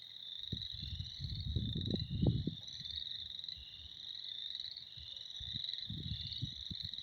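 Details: Many frogs trill continuously in a high spring chorus, partly covered by loud low rumbling and handling or wind noise in bursts near the start and end.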